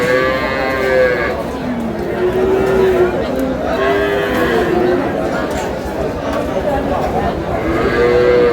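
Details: Cow lowing at Aftabganj cattle market in Dinajpur, 19 May 2026, among cows sold with calves; a sustained moo opens and another closes the stretch, with bargaining voices and crowd noise filling the middle.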